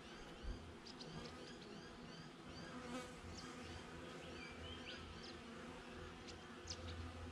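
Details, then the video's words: Honey bees buzzing outside a beehive, filmed with a GoPro: a steady, low, droning hum with layered tones, while small birds chirp thin, quick notes high above and a brief thump sounds near the start. "Bee Hive - Nature Sounds"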